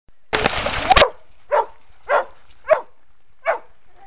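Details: Red and white purebred male Australian Shepherd, one and a half years old, herding fellow dogs at Bear Creek Dog park: a loud rushing burst, then four sharp barks spaced roughly half a second to a second apart.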